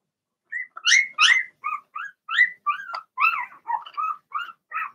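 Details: Cavalier King Charles Spaniel puppies of Blenheim colour, six littermates born March 7th–8th, indoors in their pen: quick, bright rising yips and squeals, around a dozen in under five seconds, the first few loud and shrill.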